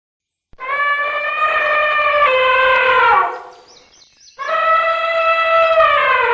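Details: Elephant in nature giving a loud, brassy, tonal trumpet blast of about two and a half seconds. It falls slightly at the end, then after a short pause a second sustained blast begins, with a faint brief higher squeal in the gap.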